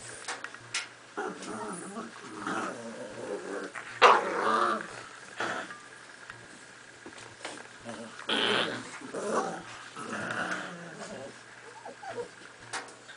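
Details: Miniature Pinschers playing tug of war with a toy growl and grumble in play, with short whines and a person's voice now and then.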